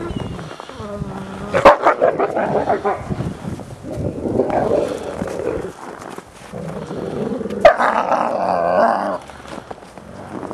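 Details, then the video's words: Captive ambassador gray wolves in a daily dominance interaction, December 2008: mixed growling, whimpering yelps and sharp snaps, noisy and irregular, with brief whines early on. "Dominance Interactions between the ambassador wolves"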